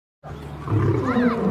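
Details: Two lions fighting: after a moment of silence, a deep, rough growling roar rises and holds, with snarling tones over the low rumble and getting louder toward the end.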